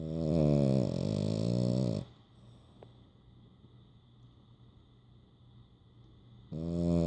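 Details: A male French Bulldog snores in deep, rattling, low-pitched breaths with quiet pauses between them while asleep with his eyes open and tongue out.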